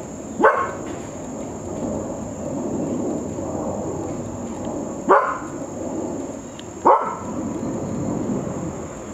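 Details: A frustrated dog gives three sharp, high-pitched barks, spaced several seconds apart, over a steady background hiss, barking from a good distance away because it felt neglected; a nearby handsome trig cricket jumps at the last bark.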